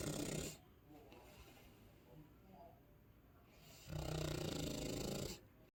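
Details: Sleeping Chow Chow called Sasha, a pet dog, gives deep, harsh, grating snores, one ending at the start and another lasting about a second and a half after three seconds of quiet breathing.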